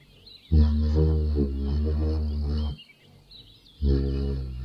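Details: Humming giraffe, a long deep resonant drone of about two seconds with a wavering, throbbing quality, a pause, then a second hum starting. Steady high-pitched background chirps.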